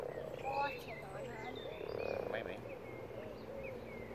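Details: Common frogs, over 100 spawning in a garden pond: a steady low, purring croak chorus fills the background, with faint higher whistled bird notes above.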